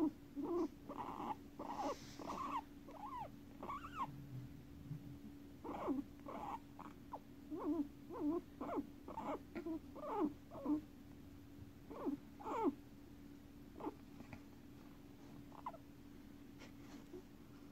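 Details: Two five-year-old pet guinea pigs named Guinea and Pig, kept together: bursts of short, squeaky, arched notes in quick series, pausing and resuming, over a steady low electrical hum indoors.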